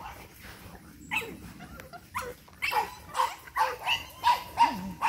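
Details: Eight-week-old Boston Terrier puppies from one litter, energetic, give a run of short, high, nasal yips about every third of a second. They follow a quieter stretch where a person calls out "hey" several times.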